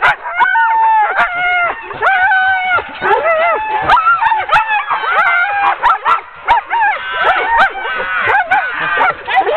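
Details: Ten-dog sled team being hooked up for a training run on 16 October 2010; overlapping excited yelps, rising howl-like whines and sharp barks from many dogs at once, a dense continuous chorus with brief clicks and knocks.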